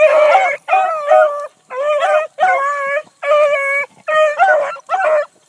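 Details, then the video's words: Nearby Bluetick Coonhounds give loud, long drawn bawls while running a big rabbit in the early morning of 22 July 2012. Seven resonant, sustained howls come with short gaps between them. "THE BLUE'S ON A BIG RUNNING RABBIT 7-22-12"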